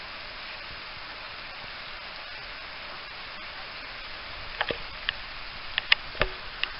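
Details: Steady broadband rushing noise throughout, with a few sharp clicks and knocks in the final two seconds; no animal voice heard.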